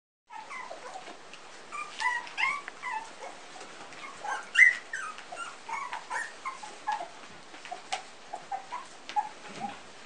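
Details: Three-week-old Pumi puppies from a litter whimpering indoors: thin, squeaky, wavering cries that rise and fall, scattered irregularly with overlapping voices and a louder squeal near the middle.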